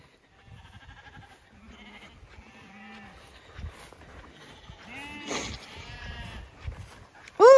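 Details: Zwartbles lambs in a pasture field at a regenerative farm in County Kilkenny, Ireland, being trained without their mothers to come when called for feeding; several quavering harmonic bleats overlap, with a woman's voice, footsteps and a brief loud noise at the end.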